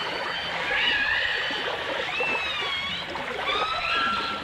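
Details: Dolphins and orcas in a 1989 full dimensional stereo recording: thin, wavering tonal whistles sweeping up and down, some overlapping, over a steady hiss of underwater noise.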